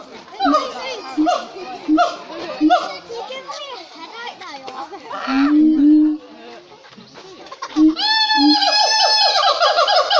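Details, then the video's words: Captive siamangs at Cotswold Wildlife Park give a run of short, spaced harmonic hoots, then a brief lower swelling note, before breaking into a loud, sustained series of rapidly rising whooping calls. "Siamang monkeys in full voice at Cotswold Wildlife Park, LOUD!"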